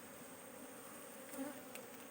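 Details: A beekeeper checks one side of a comb for queen cells. Honey bees give a dense, even drone with a low hum throughout, a slight swell midway and faint clicks near the end.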